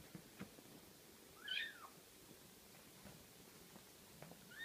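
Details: Six-week-old Ocicat kittens; one gives a single high, thin mew that rises then falls, about half a second long, with a fainter mew starting at the very end, over quiet background noise.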